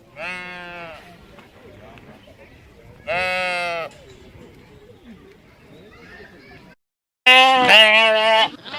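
Sheep bleating in loud, wavering baas, three separate calls with quieter background noise between.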